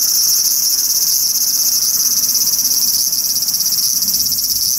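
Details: Large brown cicada calling from a cherry tree in a park, producing a dense frying hiss, high and continuous, with a slight fast pulsing texture running through it and a soft low murmur underneath.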